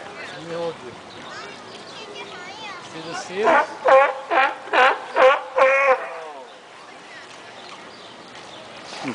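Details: Vociferous sea lion at the Bronx Zoo giving a run of five loud, harmonic honking barks about half a second apart, each with a slightly falling pitch, after quieter calls and a brief shorter call at the start; background murmur throughout.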